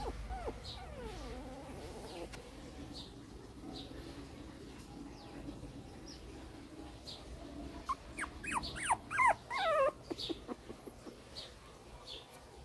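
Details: A 2014 litter of newborn Shih Tzu puppies stays quiet at first, then breaks into a quick burst of shrill whimpering yelps, several sliding downward in pitch, before fading to a few soft squeaks over a low background hum.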